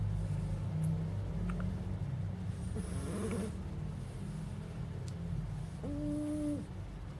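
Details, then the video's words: Sleeping puppy named Fonso snoring: a steady low rumbling drone with irregular breathy pulses throughout, and a short clear tonal whine near the end. "Divertido perro bebé roncando"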